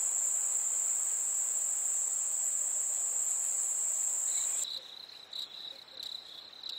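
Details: Summer-night crickets: a steady, piercing high trill first, then a sudden switch to lower, rhythmic chirps repeated several times a second.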